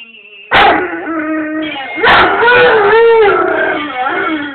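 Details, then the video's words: Male pet Rhodesian Ridgeback howling along as its owner sings indoors: two loud wavering, harmonic howls begin sharply about a second and a half apart and are held, sliding gently in pitch, mixed with human singing. "Rhodesian Ridgeback Singer"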